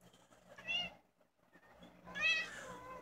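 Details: Domestic cat family indoors, a mother cat with her three kittens; two high, harmonic meows about a second and a half apart, the second longer and wavering, over quiet room hum.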